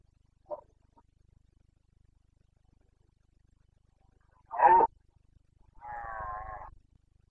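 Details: Carpathian red deer stag during the breeding season rut in Bucovina, September 2022: a short faint grunt, then one loud harsh roar and a longer, steadier moaning bellow.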